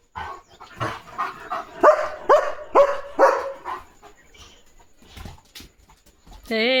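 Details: Guarding German Shepherd Leo barks several times in quick succession at a parcel delivery, followed by quieter sounds and a brief tonal electronic tone at the end.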